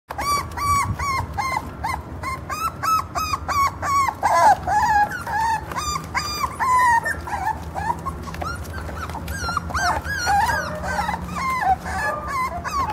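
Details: Short-legged Jack Russell Terrier puppies born 4 October 2012 in Mexico, a litter of one male and two females. Several puppies whimper and yip in overlapping waves: high, wavering whines that rise and fall, several per second, with no pause throughout.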